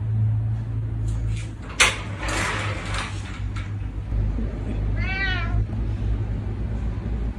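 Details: ['Pet cat known for running over like a dog when called, on a rainy day with wet paws: knocks and rustling come first, then one short wavering meow about five seconds in over a constant low hum.']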